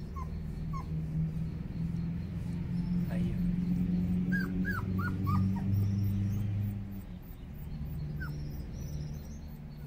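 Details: Dobermann puppies cooling off in a breeze on a hot day: a few short, high, squeaky whimpers, some bending down in pitch, clustered mid-clip, over a man talking and a steady low hum.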